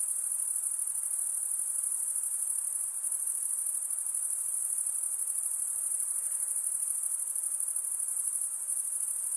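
A steady, high-pitched shrill of night insects trilling together without pause.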